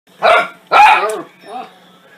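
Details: Dog going berserk at the noise of a soup maker, giving two loud, harsh barks in quick succession followed by a softer, shorter third bark, with a low steady hum behind.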